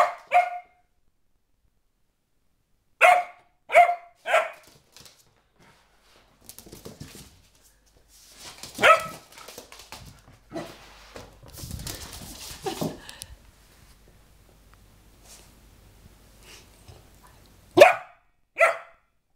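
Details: A playful four-month-old springer spaniel puppy named Sophia barks indoors in short bursts: one yap, then a rapid trio, a lone bark, a stretch of rustling and thumping, and two final barks.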